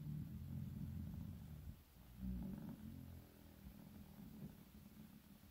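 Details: Fifteen-year-old Shiba Inu, an aging dog, sleeps through winter with low, rough, purring snores rising and falling in two or three slow breaths, a soft steady rumble throughout.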